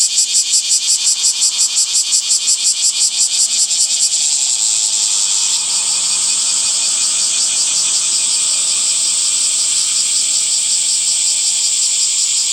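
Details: Cicadas singing in summer greenery: a sharply pulsed, throbbing buzz for the first four seconds that smooths into a steady, high, hissing drone lasting to the end.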